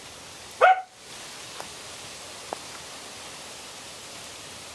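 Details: Samoyed puppies aged 8 1/2 weeks, four littermates back out on a deck after a rain deluge on November 2, 2014; one short, sharp, high-pitched yip early on, then near quiet with faint clicks.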